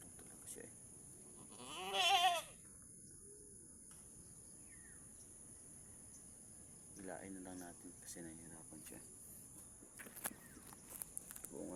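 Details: Mother goat having a hard time delivering her kid as a person assists the birth; one loud, trembling bleat early on, followed by quieter murmurs, soft human speech and scattered clicks.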